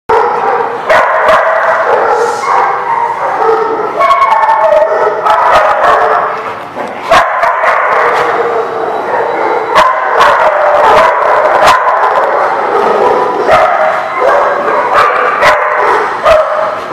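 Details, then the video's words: Many dogs barking together at a dog kennel or daycare, a dense continuous chorus of overlapping barks and yips with sharp clicks and bangs throughout. "The Barking Lot"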